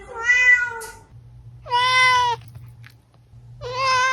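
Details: Three clear cat meows, offered as sounds to lure a hiding cat: each steady and slightly falling, about half a second to a second long, with a faint low hum beneath.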